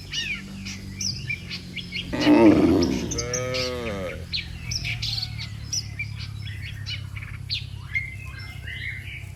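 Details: Cattle walking in an orderly line along a road call to the herd to return to the pen: a single long, deep moo midway, surrounded by constant bird chirps and twitters.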